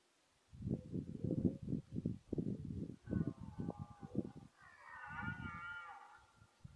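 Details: Red deer stag during the 2014 rut, filmed at encounters with mainly the same fourteen-point stag: a run of deep, pulsed grunting roars for about four seconds, then a higher, drawn-out harmonic moaning call.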